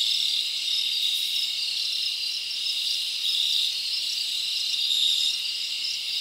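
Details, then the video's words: Crickets chirping at night in a summer forest: a dense, steady high-pitched buzzing chorus with brighter trilled pulses recurring every second or two, with no other sounds. "Live Crickets Natural Sound"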